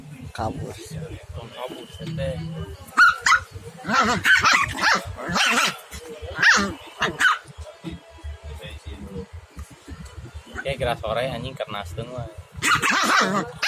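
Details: Village-dog puppy and small dog trading barks in a contest, short high yaps coming in irregular clusters through the clip, with quieter stretches between bursts and a final volley near the end.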